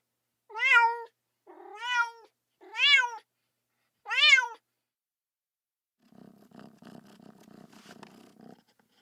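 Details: Kitten crying for its mother: four loud, arching meows in quick succession over four seconds, followed by a soft, low rumbling purr-like sound after a pause.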